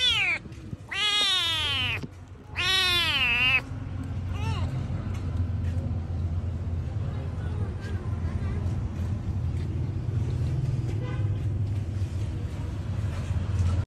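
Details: A hungry cat meows loudly twice in quick succession with long wavering cries at the start, then a few fainter meows fade into steady low traffic-like rumble for the rest.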